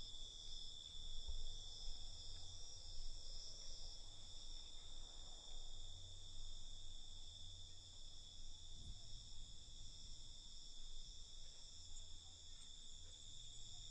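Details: Night cricket chorus: continuous high-pitched trilling from many insects, holding steady for the whole stretch, with a low droning hum pulsing underneath.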